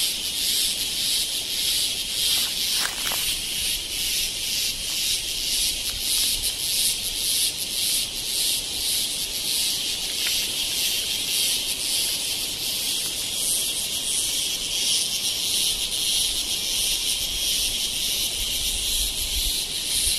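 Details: Cicada in India at Kodaikanal and Thekkady, 2014, giving a long unbroken high-pitched buzzing drone that pulses rapidly, with a couple of faint clicks in the background.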